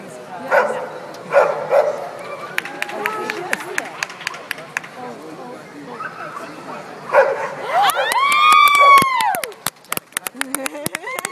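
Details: Happy Old English Sheepdog show dog Valubal Fitch Blake barks a few times early on, barks again later, then gives a long arching whine that rises and falls, with sharp clicks and taps around it.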